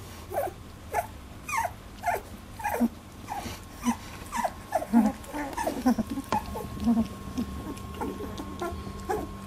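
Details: Labradoodle puppies at 18 days old in their first milk fight, a string of short high squeaks and whimpers, some sliding downward, repeated every half second or so over a steady low hum.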